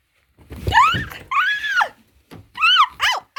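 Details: Cat, a formerly homeless female house cat kept indoors during severe heat and thunderstorms, meowing while playing hide and seek: four or five arching, harmonic meows in quick succession, some long and drawn out, others short and clipped.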